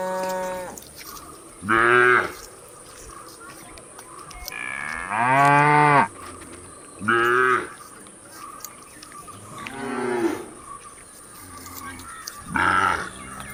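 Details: Cows moo repeatedly while eating, each a drawn-out, harmonic-rich call rising and falling.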